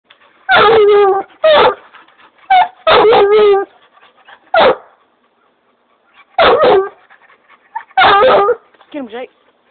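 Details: Black and tan coonhound barking loudly in clear harmonic bursts, about eight barks over ten seconds, some doubled in quick pairs, with long pauses between and a shorter, wavering yelp at the end.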